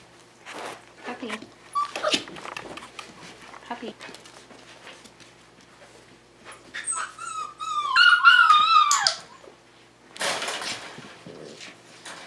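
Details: A five-week-old Tamaskan puppy in the Puppy Culture box game lets out one wavering, descending whine of about two seconds midway, amid a woman's encouraging chatter and rustling.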